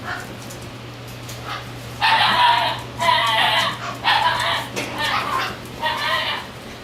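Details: Shiba Inu puppy born on 10 April 2017, giving a run of five short, high yapping barks about once a second, with a steady low hum underneath.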